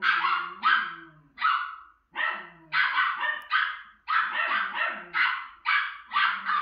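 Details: Barking at herself on the TV screen, a female Miniature Schnauzer gives loud, sharp barks in clusters of two or three, with short gaps and soft television sounds underneath.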